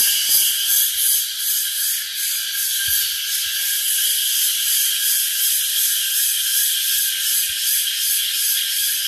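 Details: Crickets near Lingamala Waterfall, Mahabaleshwar, Maharashtra, chirp in a dense, shrill chorus, pulsing about three times a second over a steady hiss.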